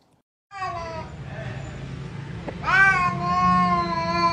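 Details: Cat in a funny compilation: a short descending meow, a pause with low background hum, then a louder, long meow that rises sharply and holds level.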